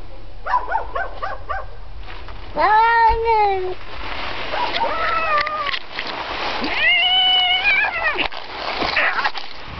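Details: A domestic cat said to imitate a dog barking in the background, possibly scared; series of short harmonic yelps, then longer wavering meow-like cries with falling and rising tones, a person's voice faintly present.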